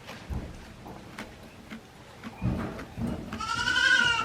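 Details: Baby goat one day old at Yoshigake handmade goat farm, 17 April 2024, gives a single rising, tremulous bleat at the end, rich in stacked overtones, after a stretch of thumps and rustling.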